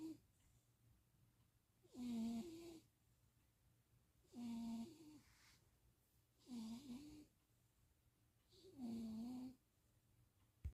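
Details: Stevie, a napping cat being cat-sat in Austin, Texas, on 2026.04.07, snores. There are four rough, buzzy, low breaths, each about a second long, spaced roughly every two and a half seconds, with a quiet room between them.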